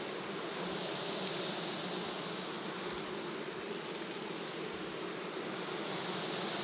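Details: Dense droning of a honey bee colony right after losing its queen, 7 February 2020. The hum holds level throughout, with a thin high tone running across most of the recording before it drops away.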